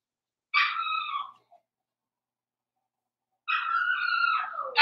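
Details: Blenheim Cavalier King Charles Spaniel puppy from a litter of five born at New Year, on pick-up day, gives two drawn-out, tonal, wavering whines about three seconds apart, the second longer and falling, in an otherwise quiet room with a brief knock at the end.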